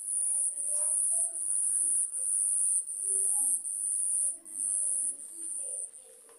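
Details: Night crickets during a lightning storm: a loud, very high buzzing trill that swells and breaks into bursts of roughly one second, repeated steadily, over faint low murmuring.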